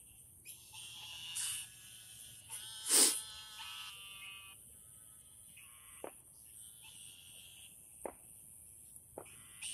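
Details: Frogs calling after dark in a garden: a few nasal, buzzy croaks early on, then sharp clicks and brief knocks punctuate a quieter stretch under a thin, steady high hiss.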